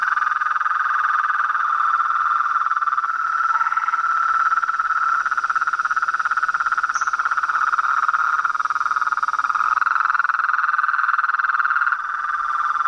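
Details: Frogs and toads calling together in a dense, steady chorus, a continuous buzzing trill holding one pitch band with little change throughout.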